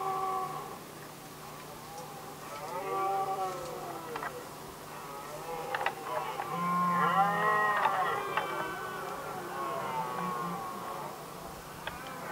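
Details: Red deer stags in Västmanland, Sweden, 2010, fighting over hinds, roar in deep, drawn-out groans that rise and fall, rival males competing during the rut; Red deer (Cervus elaphus).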